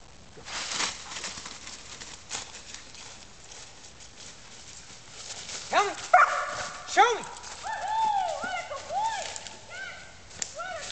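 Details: Cooper, a six-month-old German Shepherd training for search and rescue in Virginia, barks as his Recall-Refind indication; several arching, tonal barks and yelps come from about six seconds on, after softer rustling and voices.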